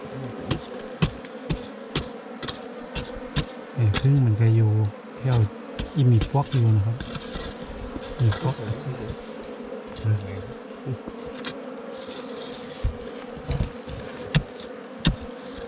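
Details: Wild bees during a honey hunt for ground-nesting and cavity bees, a steady low buzzing hum running throughout, with louder droning bursts that swell and fade in the middle, broken by frequent sharp knocks and taps from digging.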